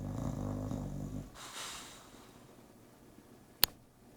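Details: Bulldog snoring indoors, one low rattling snore lasting just over a second, then a soft breathy exhale and near silence broken by a single sharp click.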